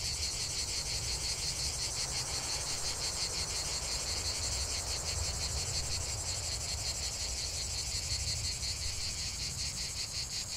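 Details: Cicadas singing in chorus, a continuous dense buzzing with fast pulsing, roughly three pulses per second, steady throughout with no breaks; a low rumbling background underneath.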